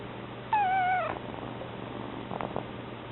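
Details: Newly arrived kitten's meow, a thin, wavering, slightly falling cry lasting about half a second, with a second cat purring; faint indoor knocks follow.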